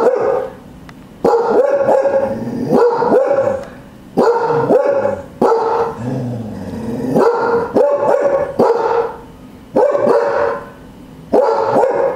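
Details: Several loud back-door barks from Cardigan Welsh Corgis kept as guard dogs, fired in quick clusters about four per second, broken by brief silences, with a low growling undertone between some bursts.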